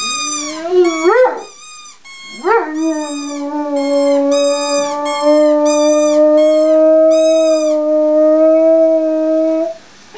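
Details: Howling Greater Swiss Mountain Dog, opening with two short rising yips, then settling into one long, steady, slightly wavering howl sustained for about seven seconds before stopping abruptly.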